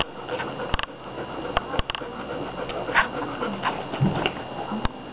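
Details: Fifteen American Bulldog puppies from two July 2009 litters, four of them smaller and about five days younger, busy eating and sleeping; brief squeaky whimpers rise over steady clicking and rustling.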